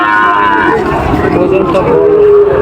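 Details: Sahiwal bull cattle at a market in Joypurhat, Bangladesh, recorded 23/6/25: a drawn-out, harmonic lowing moo that settles into a steady sustained tone, with busy market chatter and voices underneath.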